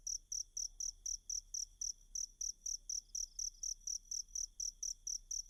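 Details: Cricket used as a masteran voice for training kacer birds: sharp, high, evenly repeated chirps, about three to four per second, over faint low-frequency background noise.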